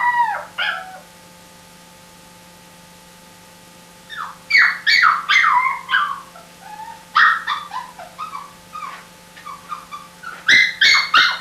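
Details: A crying puppy gives bursts of shrill, wavering yelps and whines, falling in pitch, separated by quiet pauses of several seconds; a faint constant hum runs beneath.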